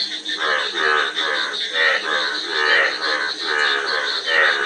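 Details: Frogs croaking in rolling, harmonic pulses about once a second, several voices overlapping, backed by an unbroken high-pitched hum.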